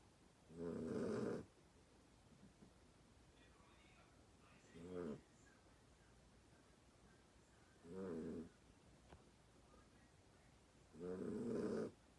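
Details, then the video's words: Sleeping dog giving four harsh, rumbling snores with quiet gaps of about three to four seconds between them, the first and last snores the longest, over soft background hiss. "My snoring dog"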